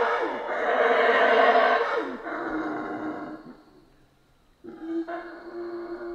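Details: Howler monkeys of the Central American rainforest: a strong gravelly roar fades into a lower steady moan, a near-silent pause follows, then renewed rough howling resumes.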